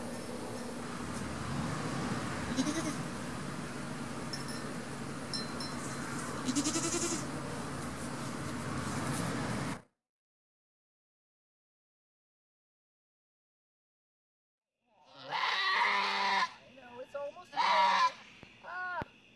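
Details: Nigerian Dwarf doe Emma giving birth on a farm: ten seconds of broad rustling noise, a silent gap, then several short, strained nasal bleats near the end.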